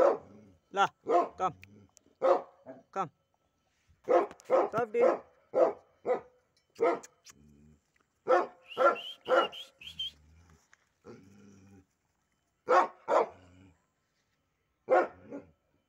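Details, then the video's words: Pit bull pair kept as pets; steady bursts of barking in irregular runs, often doubled, with a person talking and a low hum between bark clusters. "my pitbull dog"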